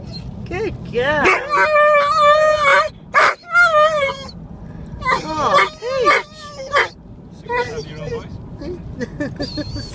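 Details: Aura, a Huntaway, eager to go for a walk and play. She gives a series of high, tonal whines and yelping barks in short, uneven bursts with pauses between them, some calls sliding up or down in pitch.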